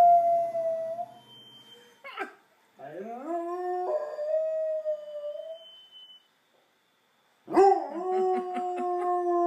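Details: A dog howls on pitch, imitating a passing fire truck's siren. Long, clear, sustained howls slide upward and then hold a steady tone. They break off briefly and resume with a sharp rise, like a wailing siren.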